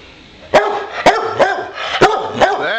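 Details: Indoors, Bowser the boxer barks to signal he wants to play: five loud, punchy barks spaced about half a second apart, with a faint television murmuring behind.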